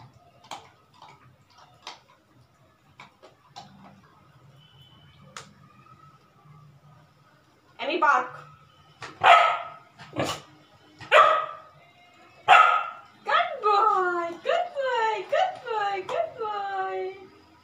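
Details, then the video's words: Pet Labrador Retriever puppy barking on command as a trick: quiet clicks and murmurs at first, then five loud, clipped barks about a second apart, followed by a run of quicker, tonal, falling yelps and whines. "My Labrador puppy showing 7 tricks/funny puppy/Ammy my pet/sit,stay,high-fy,hand-sake,jump,bark,dowm"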